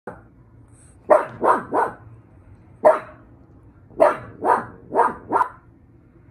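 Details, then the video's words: Pug dog barking in short bursts, sharp raspy barks in runs of three or four with a lone bark between, over a low steady background hum. "Pug barking"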